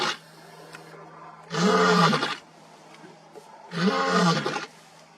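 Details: Wild African lion roaring: two deep, rough, full-bodied roars each lasting close to a second, about two seconds apart, with quiet between them.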